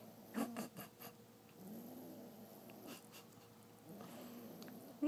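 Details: A 9-week-old female English Bulldog puppy snores in low, rumbling breaths, each drawn-out snore lasting about a second, briefly waking and sleeping with her eyes open.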